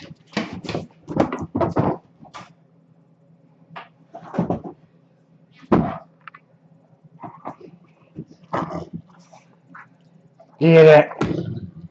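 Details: A Great Dane refusing to go to bed at bedtime because he wants to play gives deep, gruff barks and grumbling vocal bursts, with a person speaking between them.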